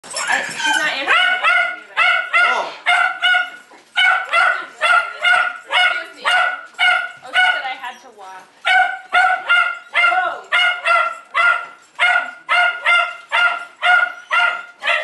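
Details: Jack Russell Terrier named Jay, a pet dog with dependency issues, barking steadily: sharp harmonic yips repeated about twice a second for the whole stretch, each bark brief and high, with only a short pause near the middle.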